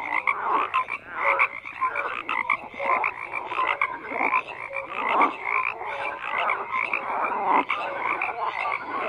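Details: Many frogs croaking together in a dense, continuous chorus of rasping, pulsed croaks, with short clear whistled notes scattered through and no other sounds apparent.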